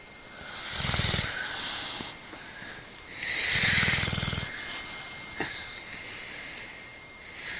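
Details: Sleeping dog snoring: two long, rasping inhale snores about two and a half seconds apart, each with a low pulsing rumble under a hissy upper band, with softer breathing noise between them.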